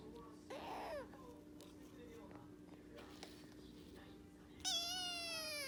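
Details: Rescued orange tabby male kitten named Luke, born early April 2021, answering while eating: one short, high arched meow near the start, then quiet room noise with a steady hum and a bright harmonic tone toward the end.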